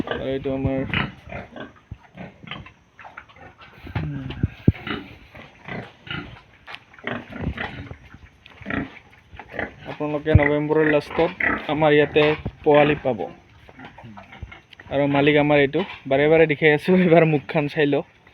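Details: Yorkshire and Hampshire pigs on a pig farm in Assam give harsh, harmonic squeals and grunts in irregular bursts, with a loud run of squealing near the end. Human voices are heard in the background.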